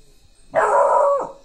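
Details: A Rottweiler puppy lets out one sustained, fairly high bark with a rough, harmonic ring, held for most of a second, as its guard instinct is tested.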